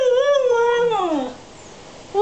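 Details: Young Alaskan husky, three and a half months old, vocalizing indoors in a long tonal howling 'talk' that holds steady, wavers, then slides downward, with a brief rising yelp at the end; the owner coaxes it to talk.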